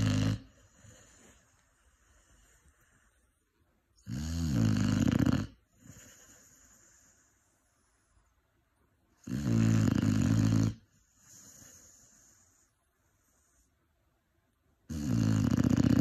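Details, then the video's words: Sleeping Cane Corso pup, five months old, gives deep rattling snores about every five seconds, four strong bursts in all, each followed by a softer, wheezy exhale. "5 months Cane Corso snoring"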